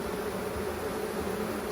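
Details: Honeybee colony during a hive inspection as frames are lifted and checked for the queen: a continuous low, even droning hum of many bees, without pauses, and no voices.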